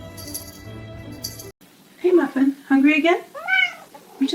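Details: Domestic cat meowing indoors: after a second and a half of background music, several drawn-out, wavering meows that rise and fall, each under a second long, with a person talking softly to the cat.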